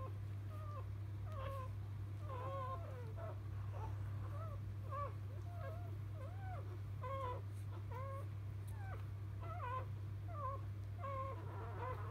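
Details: Field-line Labrador Retriever litter moments after being born to mother Biscuit, a 2017 JFA Grand Champion; short arched squeaks repeat in quick succession, several pups overlapping, with a constant low hum beneath.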